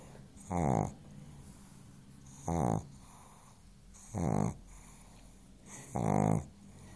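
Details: Chance the pug sleeps soundly on a sofa and snores steadily. Four raspy, vibrating snores come roughly every one and a half to two seconds, each about half a second long, with low room hum between them.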